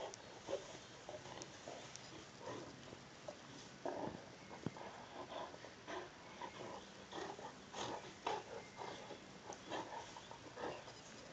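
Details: Two Saint Bernards, Sammi Dean and Belvedere, wrestling in play: rough grunting growls and huffs in irregular bursts, with scuffling and thumps between them throughout.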